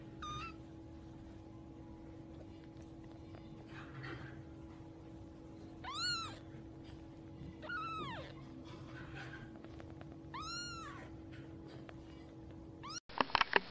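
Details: Newborn kittens suckling and playing; three clear squeaky meows, each a sharp rising-falling arc, spaced about two seconds apart over a steady low electrical hum, ending in a sudden loud clatter.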